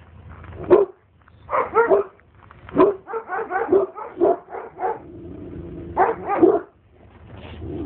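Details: Oktash, an Alabai guarding dog, barks at a stranger in rough, resonant volleys, some single barks and some rapid clusters, with a sustained low hum and a short lull near the end.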